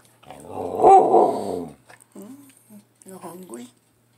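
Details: Pet Samoyed puppy, a female, 'talking' while hungry at breakfast time: one rising and falling howl of over a second that swells and then fades, followed by a woman speaking softly with short gaps.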